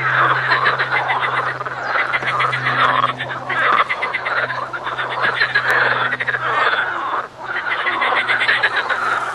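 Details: A dense frog chorus: many overlapping rattling, pulsed croaks form a continuous loud churning, with a faint low steady hum underneath throughout.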